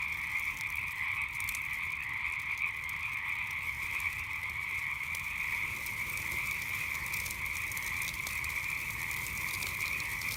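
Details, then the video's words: At night, frogs keep up a constant two-toned trilling chorus while a campfire crackles steadily throughout, its sharp snaps and pops scattered densely over the even croaking. "Relaxing Sounds of Frogs and Campfire at Night"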